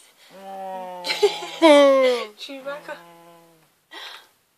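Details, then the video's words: A Siberian Husky refusing to leave the bed vocalizes indoors: a drawn-out, wavering woo-like grumble that holds low, swoops up and bends down over about three seconds, followed by a short breathy burst. "Siberian Husky wont let me in bed"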